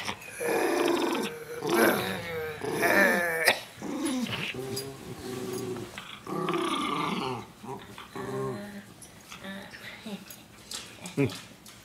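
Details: Jakie the miniature schnauzer growls and snarls in a run of harsh, pulsing rumbles with higher yelping edges, roughly one burst a second, inside a small room with a voice now and then.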